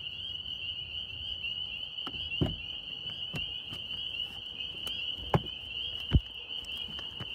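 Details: Northern spring peepers calling in New York: a dense, continuous high chorus of overlapping shrill peeps forming a steady ringing band, broken by several sharp low thumps and knocks nearby.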